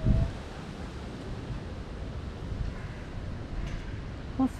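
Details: Steady low wind rumble outdoors with faint, indistinct voices and no clear animal call.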